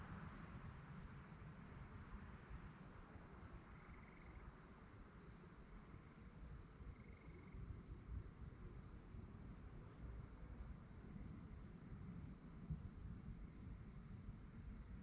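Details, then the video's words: At night, crickets keep up an unbroken high, throbbing trill, while two faint brief mid-pitched tones come and go early on and a low murmur of noise lies beneath. "Night time nature sounds to help you fall asleep - relaxing sounds of crickets"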